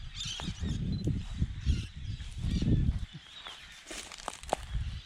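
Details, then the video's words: Wild koala on Kangaroo Island, Australia, seen moving between trees and feeding on eucalyptus nearby, giving deep rumbling, snore-like pulsed grunts in two long bursts, with rustling and faint bird chatter in the background. "cute Koala making weird sound and eating"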